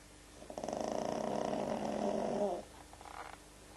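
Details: Pug snoring while asleep: a rough, rattling snore made of rapid pulses, about four per second, lasting around two seconds, then a short softer snort-like breath afterwards in a quiet room.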